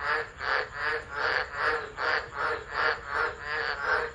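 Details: Chorus of tropical frogs at Driver in Australia's Northern Territory, 13 December 2013, singing through a tropical storm, phone set down unattended; rapid rhythmic waves of rasping croaks, rising and falling about twice a second.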